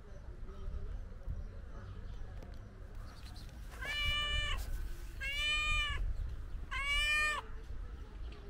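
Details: Stray tuxedo cat being petted, giving three clear, long, tonal meows spaced about a second and a half apart, each rising slightly then falling, over a low background rumble.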